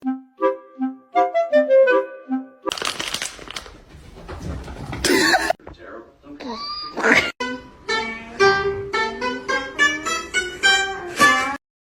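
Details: Upbeat music with woodwind-like tones and bursts of speech and noise, with no animal sounds heard.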